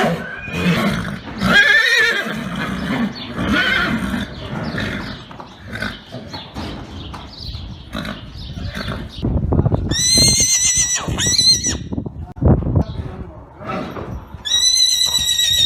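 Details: Arabian horse neighing: high, shaking whinnies with layered bands near ten and again at fourteen seconds, over a busy stretch of lower snorting, shuffling and hoof-like knocks.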